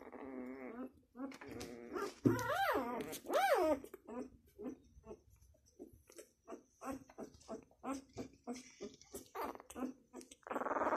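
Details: A six-day-old Labrador Retriever puppy gives high, squealing whines with arching pitch, then a run of short, soft whimpers repeated several times a second, each separated by brief pauses, with a faint human voice in a small room.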